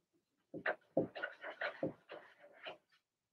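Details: Young Blenheim Cavalier King Charles Spaniel puppies, Remy's litter of two females and four males, in an indoor pen: a quick string of about eight whiny, nasal yaps rising and falling in pitch.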